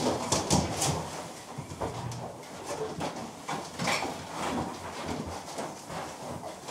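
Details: Piglets huddled together make rapid rough grunts and brief high squeals, closely spaced and irregular, with scuffling and rustling throughout.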